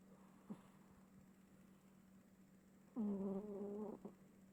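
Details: Sleeping domestic cat giving one long, low droning snore of about a second with stacked harmonics, after a quiet stretch with a faint click and a steady background hum.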